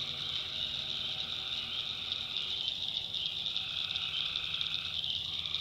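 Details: Chorus of tree frogs at night in North Carolina backwoods, a constant shrill buzzing wall of overlapping callers, with one mid-pitched layer fading out partway and resuming near the end over a faint low rumble.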